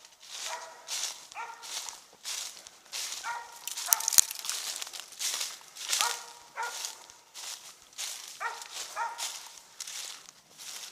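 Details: Treeing Mountain View Cur named Max Pine Knot, about three years old, treeing squirrels during a hunt in South Carolina; sharp barks in short bursts amid crunching footsteps in leaves and a man's voice.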